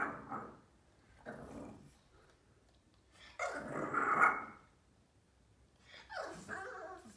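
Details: Four-month-old Boston terrier puppy throwing a tantrum: four rough, grumbling growl-barks, each under a second, spaced a second or two apart, with the longest and loudest near the middle, and quiet gaps between.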